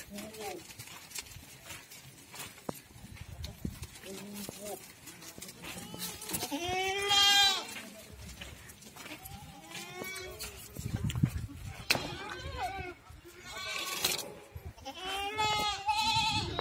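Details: Goats at a farm in Ajmer, Rajasthan, giving loud, wavering, quavering bleats in several bursts, some long and drawn out, with people talking between and over the calls.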